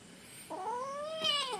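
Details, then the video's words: Kitten mewing indoors while being asked whether it is hungry: a rising, plaintive meow that swells in pitch and turns harsher and brighter near the end, with a soft human voice just before. "Discussion with kitten / കുഞ്ഞനുമായുള്ള സംഭാഷണം"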